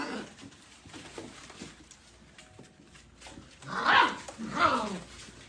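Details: Golden Retriever puppies give two short, harmonic yelping barks about half a second apart near the end, after several seconds of quiet low background rustle.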